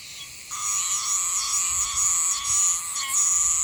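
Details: Meimuna oshimensis cicada in Yanbaru, Okinawa, where it sings until about mid-December. A loud, continuous high shrill buzz swells in after half a second and pulses slightly in intensity, with a steadier lower hum beneath it.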